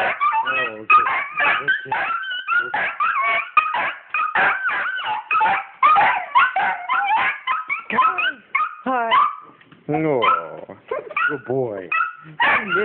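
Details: Pet dogs Penny and Oliver in an excited greeting as their owner arrives home. Eager whimpers and short yelping barks repeat in rapid, uneven bursts over nearly thirteen seconds, mixed with a woman's affectionate chatter.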